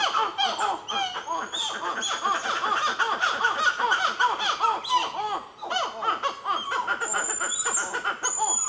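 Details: Black-fronted titi monkeys calling at Nazare Paulista, Brazil: a loud, dense chorus of rapid arched notes pumping up and down in quick succession, with thin high whistles from birds near the end.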